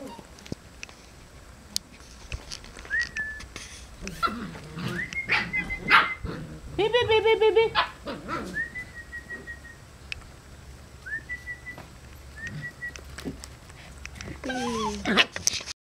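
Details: Seven-week-old Samoyed puppies running and playing outdoors in rainy weather with two older females; scattered yips, then a brief burst of harmonic yelping barks, with thin whistled tones and steady rain noise behind.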